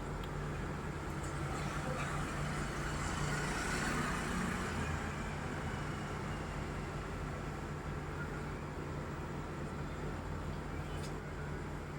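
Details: Constant road traffic rumble and engine drone outdoors, with no animal call standing out.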